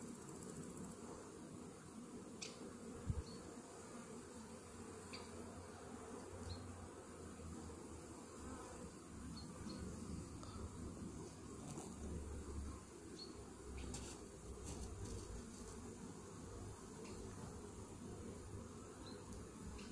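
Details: Honey bees in a hive infested with Varroa destructor mites, half an hour after a morning Varachet treatment; a steady, dense low hum of many bees, with occasional faint clicks and knocks from handling.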